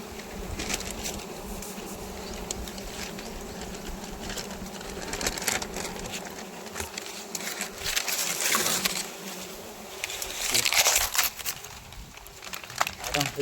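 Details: Wild honey bees swarming during a honey harvest: a dense, continuous droning buzz with layered harmonics, broken by rapid crackling taps and bursts of rustling that swell loudly near the end.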